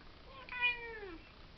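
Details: Cat giving a single clear meow, smooth and tonal, starting higher and sliding steadily downward over about a second, in a quiet indoor setting with no other sounds.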